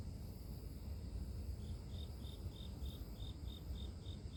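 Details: Grass insects at night in a natural setting, offered as sleep-inducing white noise: a high, even chirp starts partway through and pulses steadily about five times a second over a constant low rumble.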